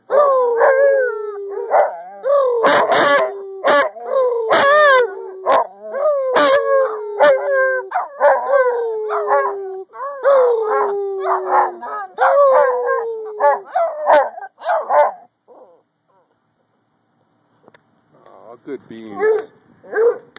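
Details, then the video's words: Dog baying together with the two other family dogs: overlapping mournful howls sliding downward, interspersed with yelps and barks, fading to near silence before a few final quieter bays. "baying with his adopted family"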